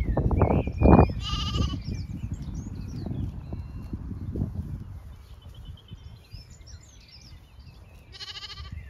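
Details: Zwartbles sheep of the main flock moving to windcharger field for cool late afternoon grazing on a regenerative farm in County Kilkenny, Ireland; two short, strained harmonic bleats, one early and one near the end, over low rumbling field noise and chirping birds.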